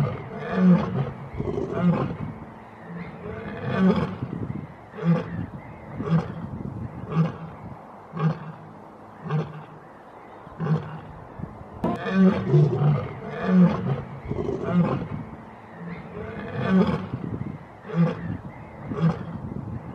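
A lion gives deep, booming roars that break into a series of rhythmic grunts.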